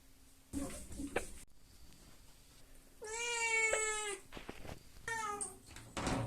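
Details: A Devon Rex cat gives drawn-out, wavering meows while it is being washed, with splashing and handling noises around it.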